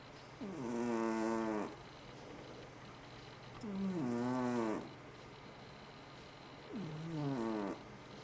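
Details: FatCat the cat snoring hard in its sleep: three long, droning, harmonic snores roughly every three seconds, each with a bending, moan-like pitch over steady low hum.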